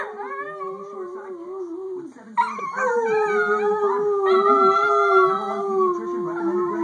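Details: Pet Chihuahua joining its owner in a howl: a drawn-out, slightly wavering tone, then a sudden higher-pitched yelping howl that slides down and holds, with overlapping voices throughout.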